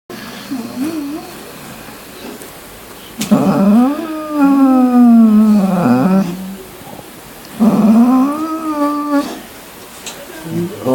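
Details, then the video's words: Rocky, a pet dog indoors, making weird noises: two long, drawn-out, harmonic howling whines, each wavering and rising and falling in pitch over two to three seconds. A person speaks to him softly between them. "Rockdog making weirdo noises"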